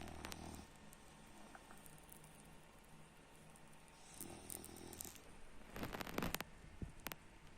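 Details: French Bulldog named Baks snores in short rasping bursts, one at the start and another past the midpoint, followed by some rustling and clicking noises near the end.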